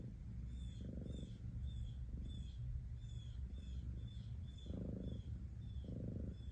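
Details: Cat purring in a soft low rumble, with three stronger surges at the start and end and a quieter stretch in between, while repeated faint high chirps carry on in the background.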